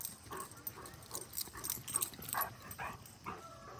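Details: Golden Retriever named Lucky playing chase with Molly, who is too fast for him; short, yelping yips come in quick irregular bursts about every half second, mixed with scuffling, rustling and thumping footfalls.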